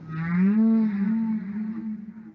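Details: Humpback whale song taken from Dr. Roger Payne's decades-old documentary record Songs of the Humpback Whale: a single deep, mooing moan that swells quickly, holds a wavering tone, and fades away slowly.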